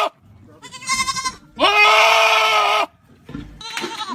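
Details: A goat gives loud, wavering, nasal bleats, one long and drawn-out, with shorter cries around it.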